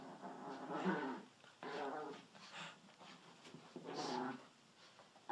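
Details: Pet dachshund growling and grumbling in low, harmonic bursts of about a second each, separated by short pauses, with a faint human voice in the background.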